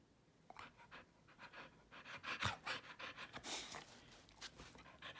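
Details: Keeshond dog indoors, helping make the bed, panting in rapid breathy bursts, airy and uneven, mixed with rustling sheets and bedding.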